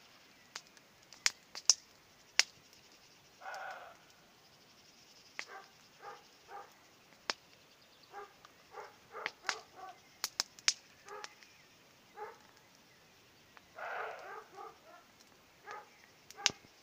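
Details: A distant roe deer barks harshly and hoarsely on an evening in the hawthorn-blooming season, some barks single and some in quick runs, heard beside a campfire.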